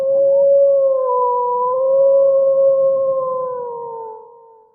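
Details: Wolf howling in one sustained, steady tonal note with a clear overtone, held almost level for about four seconds before drooping slightly and fading out.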